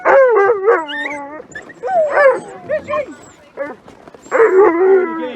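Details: Alaskan Malamute sled dogs waiting to run in freezing -30 °C weather in Larose Forest, Ontario, Canada: long wavering whines and howls that rise and fall, pausing briefly midway before another strong burst of howling.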